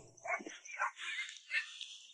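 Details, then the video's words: Puppies at the only inhabited house in a remote mountain village in Guizhou; a few short, high yelping barks, roughly four in two seconds, thin and distant. "Nur eine Familie lebt hier Wir haben das Bellen von Welpen gehört."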